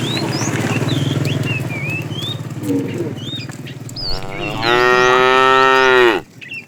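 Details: A long, loud moo about two seconds long, level and rich then cut off sharply, comes from a tame herd roaming far for food. It follows a low rumbling background with scattered bird chirps.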